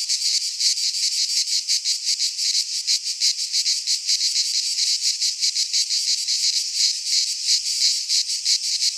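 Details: Greek pine forest cicadas in midsummer: a bright, rasping buzz chopped into regular rapid throbs, roughly three each second, continuing at full strength throughout.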